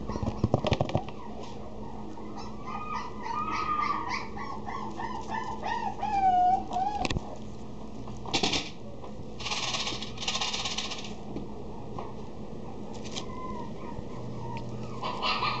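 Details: Female Maltipoo whining in drawn-out, wavering tones with several rising-and-falling whines, ending in one clear sliding cry. Loud rustling and clattering bursts follow over a low background hum.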